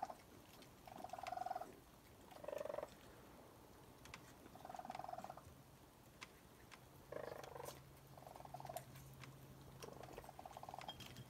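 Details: Young raccoons and their mother feeding on a porch around 1 am, giving rapid purring, trilled chirps in bursts of about a second, several in a row, over a low steady hum and eating clicks.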